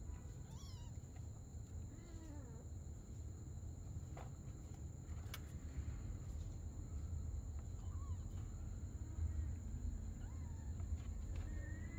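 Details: Mother cat and her kitten playing together at night; several short, faint meows with bending, rise-and-fall pitch are scattered through the recording, set against a steady high electrical whine and low background rumble.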